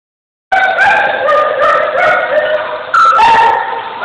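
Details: Two huskies of the same age, a female and a male, flirting and playing together; harmonic whining yodels and warbling howl-like 'talking' sounds, rising and falling continuously, with a sharper yip-like burst near the end.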